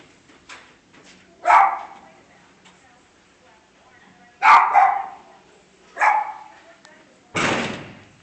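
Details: Three loud dog barks come spaced a second or more apart, followed by a sharp broadband thud at the end.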